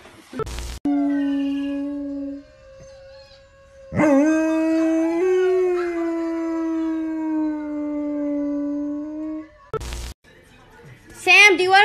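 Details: German Shepherd dog giving long, drawn-out tonal howls, one held about two seconds and another sustained around six seconds with a slight wavering rise, separated by sharp clicks or knocks and a brief higher yelp at the end.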